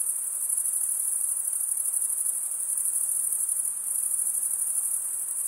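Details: Crickets chirping in a dense, unbroken chorus: a steady, very high-pitched trill of fast pulses that holds an even level throughout, with no other animals or background sounds.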